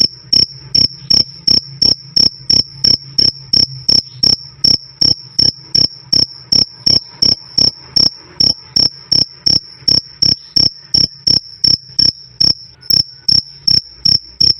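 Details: Cricket chirping loud and clear, a 'krik krik' sound: short high-pitched chirps repeated steadily about three times a second for the whole stretch, over a faint low hum.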